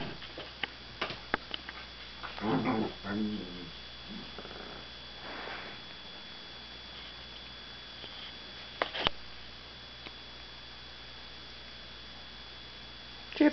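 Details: Puppy play-fighting with Gypsy, an adult dog, inside a room; rough throaty growls and grumbles around two to six seconds, with sharp clicks and knocks of scuffling paws and a low electrical hum throughout.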